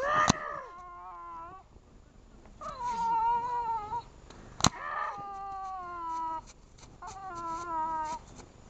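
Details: Boston Terrier puppy refusing to let go of a pillow, giving drawn-out, tonal whines and wavering howl-like cries in several bursts, with short pauses and a sharp click between them.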